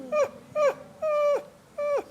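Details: Dog whining, a sound dogs make when anxious: four short high whines at about half-second intervals, each a steady tone that bends sharply downward at the end, indoors and played as an example.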